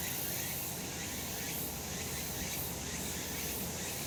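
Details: Many cicadas on a summer mountain in the sun form a continuous shrill, hissing wall of sound that swells and fades in slow waves. A soft low-frequency rumble sits beneath.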